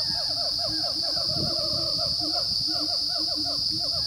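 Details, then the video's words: Wild Siamang gibbons calling on the dormant volcano Gunung Rajabasa, south Sumatra, at 900–1100 m, on the morning of 5 June 2016. Rapid swooping hoots rise and fall in quick succession over low booming notes, with a constant high insect drone. "Siamang gibbon calls"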